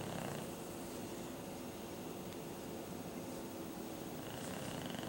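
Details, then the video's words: Duke, a pet English Bulldog, snoring in his sleep like an old man: a steady, low, rattling rumble that fills the clip without pause, with faint higher hiss above and no voices. "Duke Snoring Like an Old Man"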